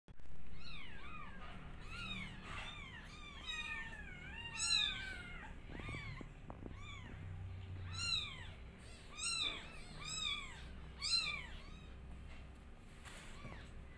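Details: Newborn kittens calling loudly while their mother is unwell: thin, high-pitched meows from several young overlap, each arching up and down, coming in quick bursts with sharper cries mixed in, over a steady low indoor hum.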